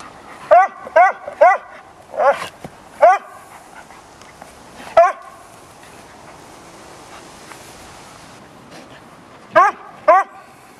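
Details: Four-month-old Bouvier des Flandres puppy named Indy playing in a garden with two canine friends; sharp, harmonic barks come in a quick burst of six over the first three seconds, a single bark at five seconds, then two more near the end.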